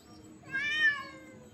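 A domestic cat gives a single tense yowl that rises and falls, a sound made during a fight.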